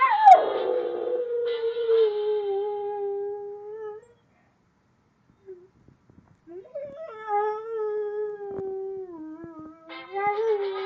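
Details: Domestic dog howls along with a noise maker, giving a falling, wavering howl. A pause follows, then a second long steady howl that wobbles slightly in pitch. Harsh buzzy bursts from the device appear between the howls.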